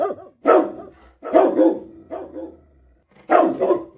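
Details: Husky dog uttering throaty, modulated barks in three main bursts, each with wavering pitch and a quick double pulse, separated by near-silent pauses.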